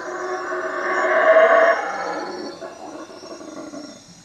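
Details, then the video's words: Guatemalan howler monkeys at Lake Peten Itza, calling from treetops about a hut after dark: one rough, droning roar rises to a peak within a second and a half, then slowly tapers away over the next few seconds, with faint insects behind. "Howler monkeys at night"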